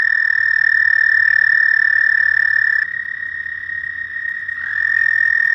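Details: Frogs calling at night: a steady, high, buzzy trill holds without a break for nearly three seconds, dips briefly in loudness, then swells again, with a second overlapping trill joining near the end.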